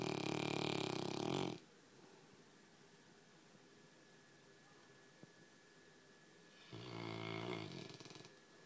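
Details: Quiet snoring from a pet Labrador, one buzzy rattling snore at the start and another about seven seconds in, with a still, hushed room in between.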